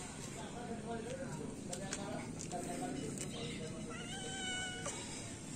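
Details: Feral cats, three adults and one kitten, being fed in the morning; several drawn-out meows, the last a long high wavering cry near the end, over a steady background hum and some voices.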